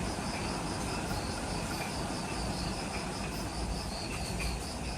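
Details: Insects calling in the jungle of Ishigaki Island, Okinawa, Japan, right after sunset: faint regular high chirp pulses layered over heavy broadband low rumble.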